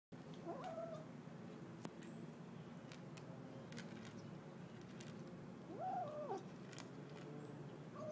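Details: Kitten making short tonal "mmmm" sounds while eating: two brief rising-then-falling hums, near the start and around six seconds, with a third starting at the very end, over steady low indoor background noise and faint clicks.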